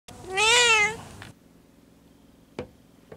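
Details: Stray black cat that always meows, one clear drawn-out meow with a rising then falling tone lasting about a second, followed by quiet room sounds and two faint knocks.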